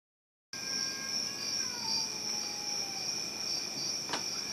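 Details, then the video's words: Cats making a horrible noise: a faint, drawn-out wavering yowl that slowly slides downward, heard over a steady high-pitched insect-like whine and one sharp click near the end. "Cats making horrible noise..."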